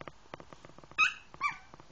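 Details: Yorkshire Terrier whimpering while trying to get onto a bed: two short, high, whiny cries about half a second apart, each dipping slightly in pitch, with faint tapping and scratching underneath.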